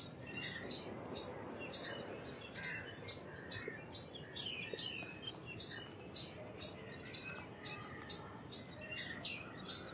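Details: Indian palm squirrel giving a long series of shrill, clipped chip notes, around twenty-two in ten seconds, slightly uneven in spacing, with faint trailing squeaks and a soft hiss behind.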